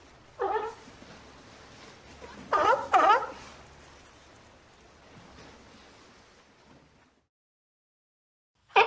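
A sea lion gives a few hoarse, harmonic barks with quiet pauses between them.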